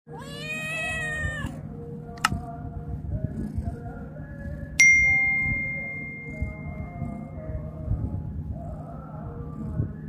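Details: A loud kitten meow lasting about a second and a half, high and strained, rising then falling, followed by a sharp ding, a sustained bright tone and a steady low hum with scattered clicks.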